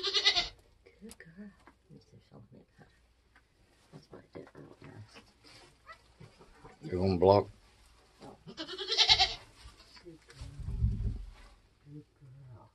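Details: Nigerian goats being born on a homestead in kidding season: several wavering bleats, one at the start and more later, mixed with quiet human talk and low thumps.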